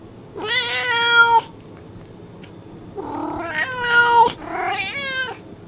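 A domestic cat gives three drawn-out, harmonically rich meows, each rising then falling in pitch.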